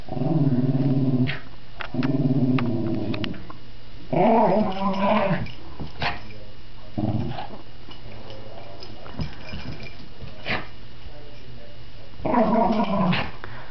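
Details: Pet dog indoors playing with a new toy: bursts of low harmonic growling, each lasting about a second, repeated several times with pauses, some whimpering tones, and a person's voice urging it on.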